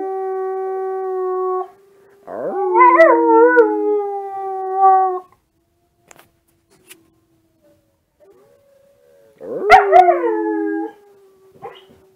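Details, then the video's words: Kiba, a Husky-mix puppy with Alaskan Husky colouring, howls indoors in a dark room in response to wolf sounds played online, captured on a smartphone: a steady harmonic tone, then long wavering howls rising and falling, two bouts separated by silence. "Howling Puppy!"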